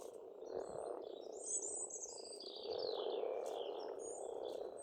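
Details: Frogs calling together at a pond in Estonia in spring, a dense continuous croaking chorus low in pitch, with high thin whistled bird phrases sliding above throughout.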